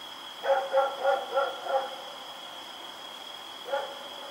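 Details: Dog named Rex barking while running around at night, October 7, 2018: a rapid run of five evenly spaced barks, then a pause and one more bark, with a steady tonal hum in the background.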